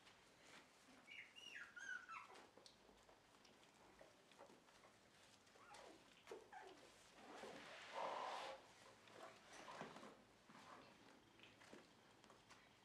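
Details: Dog indoors at a Shiba Inu and Samoyed breeder in the Netherlands, on a just-cleaned bed, November 4, 2018; high thin whines and whimpers come in short bursts, with a louder whine midway amid rustling and patter.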